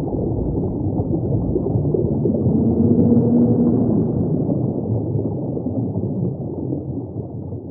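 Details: Humpback whale singing, with a soft, slightly arching moan in the middle that rises and falls against a thick, constant low ocean rumble.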